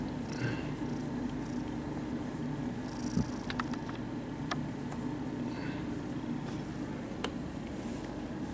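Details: Friendly kittens purring at a cat cafe while being petted: a steady, soft, low rumbling purr with a fine pulsing texture that continues throughout, with a few faint clicks and light rustling on top.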